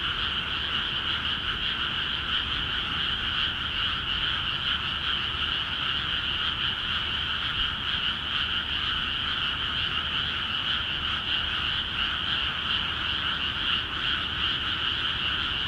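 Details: Frogs calling in a dense chorus in flooded rice paddies in Akiha Ward after water was let into the fields; a continuous, steady croaking din with two bright bands of overlapping pulses, no pauses, and a faint low hum beneath.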